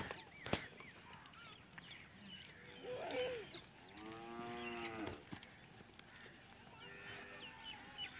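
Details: Baby goat enjoying life: a single wavering bleat with stacked harmonics swells around four seconds, preceded by a shorter cry near three seconds, with birds chirping and a sharp knock in the background.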